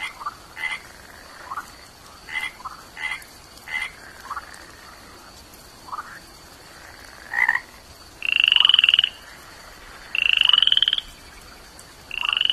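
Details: Short scattered chirps from a tiny toad lead into three high, buzzy pulsed trills near the end. Each trill lasts under a second, separated by brief pauses.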